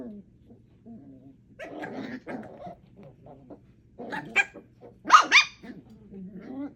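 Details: Play among four puppies aged 8 weeks, Thumper, Coco, Aurora and Elvira: soft low grumbles early on, then louder rough growling bursts, and a shrill yelping squeal near the end before quieter growls.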